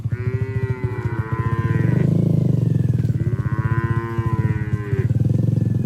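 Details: Herded cattle moving through forest toward the shed, jumping with joy, give two drawn-out, rich moos, each about two seconds long and slightly falling at the end, over a constant low motor-like drone.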